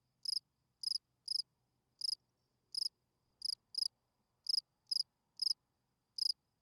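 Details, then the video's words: Night chirping of a field cricket, its calling song to attract females: crisp high pulsed chirps, about eleven in six seconds at uneven spacing, against near silence. "Field Cricket chirping"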